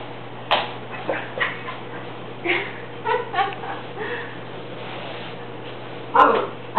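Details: Rusty the Cocker Spaniel puppy, upset by a broom during housework, lets out scattered light yips and barks, irregular and fairly soft, ending with a louder pair of barks.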